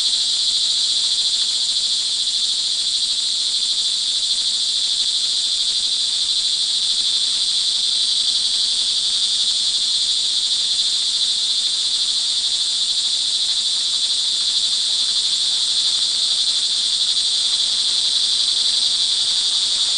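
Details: Early-evening rain recording from Montalban, Rizal, Philippines, June 24, 2011: many crickets produce a continuous shrill, buzzing drone at high pitch, steady in loudness from start to finish, with no other clear sounds.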